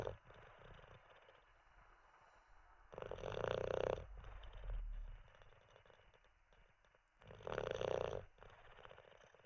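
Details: Olde English Bulldogge Teddy dozing after treats and a wee, snoring steadily: three rattling, buzzy snores roughly every four seconds with quiet breaths between.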